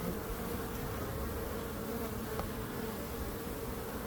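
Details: Short stretch of continuous bee buzzing, a steady rough drone with a clear humming band and one faint brief tick midway.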